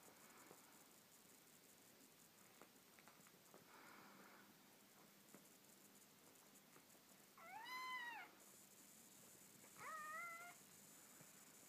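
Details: Meowing while Ossi, a neutered male Ocicat, babysits a hungry kitten whose mother Elli is away: two clear tonal meows, the first arched and longer, the second shorter about two seconds later, over a quiet indoor background.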